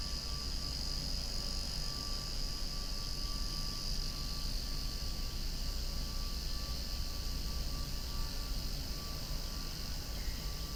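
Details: Many cicadas calling loudly outdoors beside swaying flowers, a steady dense buzzing hiss held without break, with a faint low rumble of a passing aircraft underneath.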